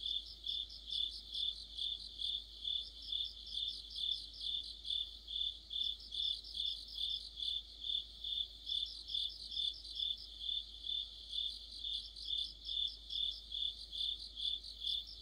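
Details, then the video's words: Mid-autumn chorus of crickets and fellow insects under a streetlight; a continuous high chirping band pulses steadily, with a second, faster trilling voice entering in bursts every few seconds. "가을의 한 복판 곤충들의 합창"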